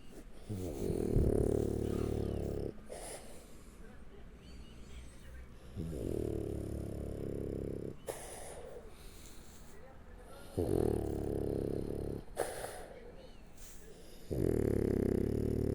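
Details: French Bulldog named Shturm asleep on its back, tucked under an arm: loud rasping snores in regular breaths, each lasting about two to three seconds with quieter inhales between, steady rhythm throughout.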